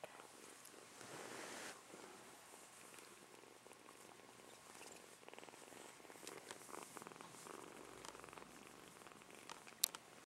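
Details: Purr from a young kitten, a low steady throb that carries through the whole stretch, with a brief louder swell near the start and scattered handling noises and clicks.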